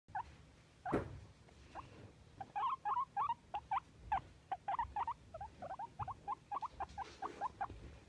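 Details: Pet guinea pig, described as happy, squeaking indoors: short chirpy squeaks in quick irregular bursts, first a few scattered notes, then a dense run of clipped squeaks from about two and a half seconds to the end.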